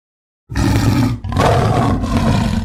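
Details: Tiger roaring: after half a second of silence a loud, deep, rasping roar bursts out, breaks briefly near the one-second mark, then continues in a second long growling surge, heavy in low rumble.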